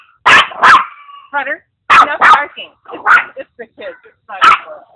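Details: Noisy Maltese-Papillon mix at play with a pug mix, giving loud, abrupt barks in pairs and singles, spaced about a second apart, with a person talking between the barks.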